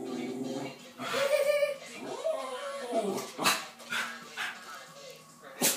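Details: West Highland White Terrier barking at the TV indoors: a drawn-out whiny yelp early on, then sharp short barks near the middle and the end, over ongoing TV voices and background sound.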